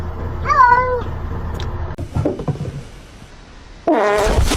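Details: Kitten meowing: a clear, arched meow that rises then falls early on, then quieter scuffling and thumps, then a second drawn-out wavering meow at the end over a low background rumble.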